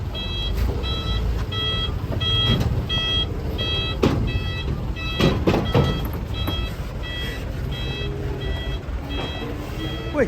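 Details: Rhythmic electronic reversing beeps repeat steadily over a rumbling truck engine, with scattered voices and clatter as cattle are unloaded; no clear animal calls stand out.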